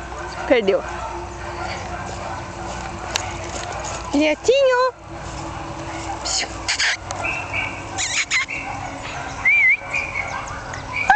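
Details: Jack Russell Terrier puppies one month old, born 27 October 2010, let out short arched yelps, a strong one near the middle, amid soft squeaks, background voices and steady hum.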